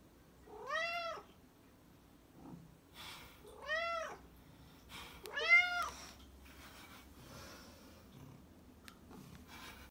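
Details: A black cat meows three times over ten seconds, each call an arched, bright tone, the last one loudest. Light clicks and faint rustling noises sound between the calls.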